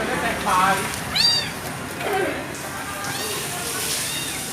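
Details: Discarded kitten gives a few thin, bending mews amid murmuring voices and broadband background noise, one clearer cry standing out early and fainter ones trailing later.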